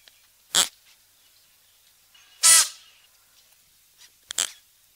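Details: Three forceful, airy snorts from a klipspringer (Oreotragus oreotragus), spaced roughly two seconds apart, the middle one longest and most rasping, over a near-silent background.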